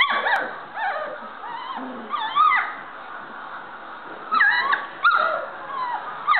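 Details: Standard Poodle puppies learning to play and bark, giving high, wavering whines and sharp yips that slide up and down in pitch, in short overlapping bursts, louder spikes near the middle and end.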